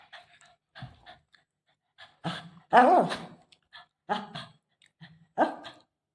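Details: Shih Tzu dog indoors meeting the owner's mother, giving a run of short barks and huffs with a louder, broader bark near the middle, separated by brief pauses.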